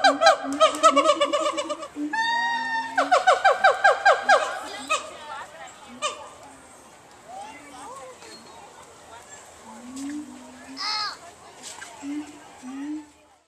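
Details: Siamangs at the Nashville Zoo at Grassmere give loud, rhythmic series of ringing hoots and barks that fade into softer calls.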